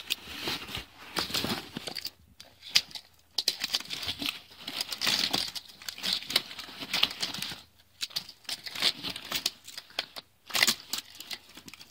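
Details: Crinkling, rustling and tearing noises fill a small indoor room, with no animal voice heard. Bursts of crumpling come and go with short quiet gaps between them.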